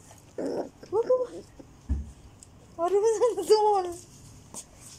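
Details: Fourteen-day-old Border Collie mix puppies (Turjak) giving high, wavering whines in two bursts, the second a longer run of rising and falling cries, with a few soft knocks and rustles indoors.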